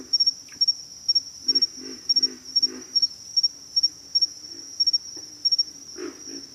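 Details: Low, throaty pig frog grunts in a run of four closely spaced pulses, then a lone grunt near the end, set against persistent shrill cricket chirps repeating in rapid bursts throughout.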